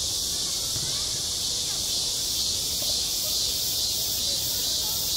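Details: Summer cicada chorus over a school playground, a steady shrill electric drone without pauses, very slight swells in loudness, and only faint low background rumble below.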